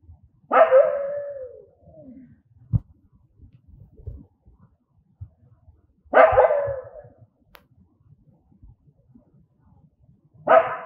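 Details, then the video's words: An angry dog barks three times, with roughly five seconds between barks. Each bark is loud and rough with a falling, drawn-out tail, and soft thumps and rustles fill the gaps. "Angry Dogs barking sound"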